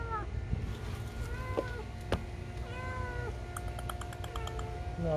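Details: A stray kitten crying: several thin, wavering meows that fall at the end, set against a steady low rumble, with sharp taps and clicks nearby.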